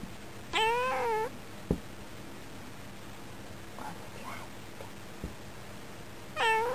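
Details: Indoor female cat by a window in summer, talking toward birds outside and answering her owner; a loud wavering meow near the start and another at the end, with sharp knocks and soft murmurs between.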